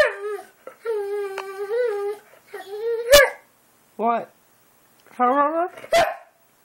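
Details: Boxer dog talking at home, a run of whiny, wavering moans with rising and falling pitch, short yips and two sharp clicks, broken by brief pauses; a person coaxing it to speak is heard around it.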